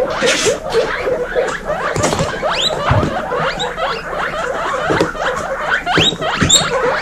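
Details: Baby guinea pigs in a group of 26 females, wheeking loudly: many overlapping squeaky calls sweeping upward, dense chorus throughout with some rustling and tapping.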